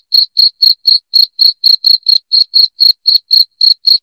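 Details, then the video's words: Shrill cricket chirps played to chase away rats in the home, a bright high pulse sounding roughly every quarter second in an unbroken, slightly uneven rhythm with nothing else audible. "SUARA JANGKRIK NYARING PENGUSIR TIKUS"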